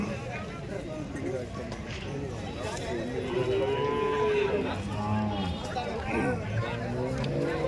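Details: Cattle at a Saturday cow market in Chalisgaon, India, 23 March: several overlapping moos, one long, clear lowing call in the middle and shorter bellows after it, amid crowd chatter and market bustle.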